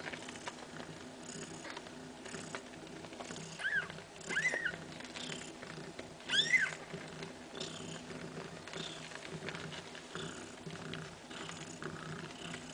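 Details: Mother cat Kaewe with her seven little kittens during a nursing session: three short, high-pitched mews around the middle, the last one louder and wavering, over a bed of quiet rustling and shuffling.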